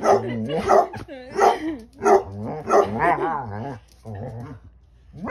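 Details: Two Basset hounds give deep, drawn-out barks and wavering, talking yowls that rise and fall in pitch, talking back to their owner.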